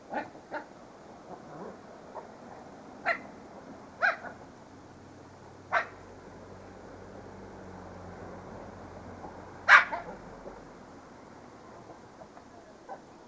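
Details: Pet dog giving spaced single sharp barks, one loud bark near the end, with a low droning hum running through the middle.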